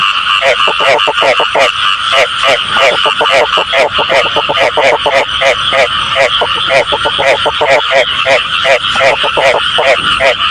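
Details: Frog calls offered as a true-sounding frog voice for catching frogs by hand: dense, overlapping nasal croaks in quick pulsed bursts, several per second, steady and loud throughout with no pause.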